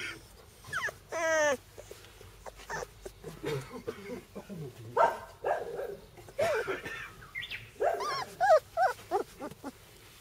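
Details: Sibling Bernese Mountain Dog puppies whine repeatedly with thin, wavering, harmonic whimpers. A long rising cry comes near the start, with more short whimpers later, mixed with scuffling and handling noise.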